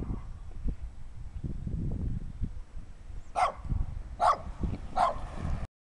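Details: A little dirty dog barks three times, about a second apart, over low rumbling handling noise.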